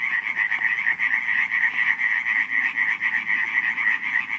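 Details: Short burst of nocturnal frog croaking from Radziszów, Poland, in July 2015: loud, rhythmic rattling pulses roughly four each second, several frogs overlapping in a harsh, steady chorus.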